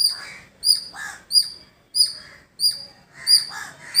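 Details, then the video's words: Village squirrel producing piercing, clipped chirps at an even pace of about three every two seconds, with short, raspy lower calls of other birds between them. "Beautiful Squirrel Making Sound"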